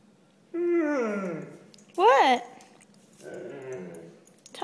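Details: Italian Spinone dog "talking" indoors: a drawn-out moaning whine that slides downward, then a short rising-and-falling yelp-like whine, followed by a softer low murmur.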